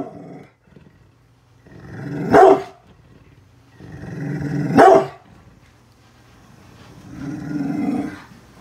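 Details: Brindle pit bull named Bullet guarding its house against construction workers outside: low rumbling growls build up to two sharp barks about two and a half seconds apart, then another long growl trails off.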